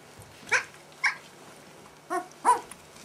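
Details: Two-week-old Merszi x Victor puppies, 14 days old, during gymnastics and a potty break before feeding; four short high squeaky yelps spaced about half a second to a second apart, with quiet background.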